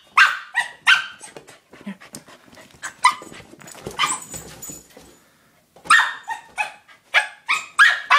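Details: A corgi attacking his new toy ball gives sharp, excited barks in quick bursts, with softer yips and scuffling between them.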